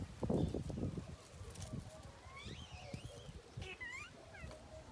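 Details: Baby monkey Tony crying in anger at not being nursed: after a burst of low thumping handling noise, wavering high-pitched whining cries rise and fall, ending in a few sharp, quick descending squeals over faint outdoor background.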